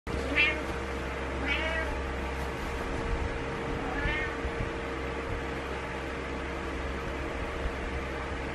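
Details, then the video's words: Cat meowing in the morning to wake someone up: three short, rising-falling meows in the first four seconds, followed by quiet with a steady low hum throughout. "Good Morning Meows"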